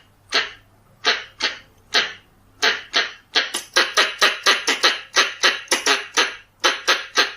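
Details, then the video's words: Red-bellied squirrel call used to lure squirrels: a few slow, separate raspy chucks that speed up into a quick, rattling chatter of harsh notes, then slow again. "ສຽງກະຮອກທ້ອງແດງ ສຳຫຼັບຕໍ່ tiếng con sóc bựng đỏ เสียงกระรอกท้องแดง"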